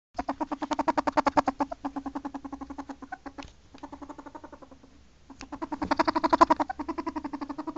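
A ferret gives rapid, clucking pulses in quick runs, broken by brief pauses.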